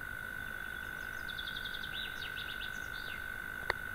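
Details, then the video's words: A European mole cricket sings in the evening from its burrow in a sandbank across a pond, a steady, unbroken low churring trill, with faint bird chirps above. "courtilière"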